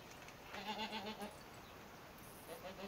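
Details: Goat heard in a village one morning while the herd heads out to pasture: a low, wavering, quavering bleat lasting under a second, then a shorter fainter one, set against steady rustling background noise.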